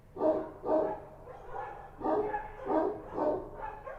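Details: Street dogs, Kochi dogs, bark at night in Kabul in a steady series of deep, hoarse woofs, about two each second.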